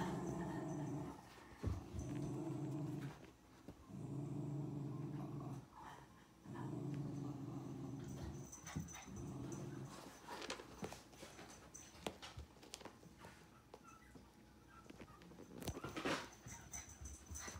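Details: Male American Cocker Spaniel puppy named Silver, born 14 September 2018, growling indoors: low rumbling growls in sustained bursts of about two seconds, five in the first nine seconds, then quieter rustling, clatter and brief thumps.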